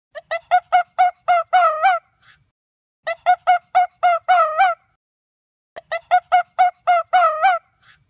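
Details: An Arctic fox in Russia gives bursts of quick, sharp yelps ending in a longer, wavering cry.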